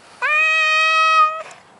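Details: Male Maine Coon cat refusing to leave his favourite garden bush: a single sustained, even-pitched meow of just over a second, opening with a brief upward slide and cutting off sharply.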